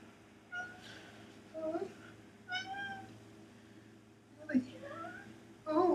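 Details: Indoor cats chasing a fly in a window, giving short broken meows and chirping chatter in several bursts, some rising and falling, with quiet room hum between.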